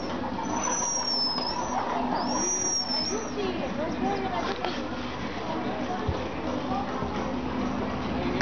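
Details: Marmosets playing in their enclosure at St Augustine Alligator Farm give thin, very high whistled calls that sweep up and down, clustered in the first few seconds, over people talking and background vehicle noise.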